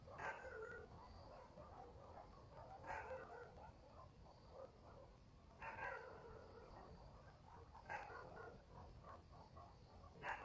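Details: Village dogs barking at night in the countryside: short, distant, echoing barks come roughly every two and a half seconds over a steady low background hiss.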